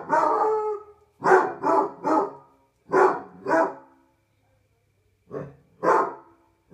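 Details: A Basset Hound howling on a patio at night bays in short, deep, mournful bursts, often in pairs or threes with pauses, as a person says no.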